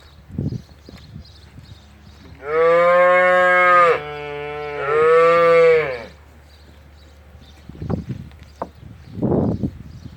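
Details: Young Simmental cattle lowing twice in close succession, each moo about one and a half seconds long with a full harmonic tone. Low dull thumps and shuffling sounds follow afterwards.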